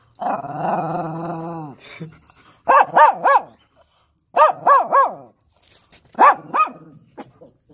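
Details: German Shepherd barking excitedly while annoying its puppies: a long whining howl first, then clusters of two to three sharp, harmonic-rich barks repeated in bursts with short silent gaps.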